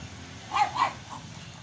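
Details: Two quick yappy barks from a pug, followed by a softer third yip, over low background hum.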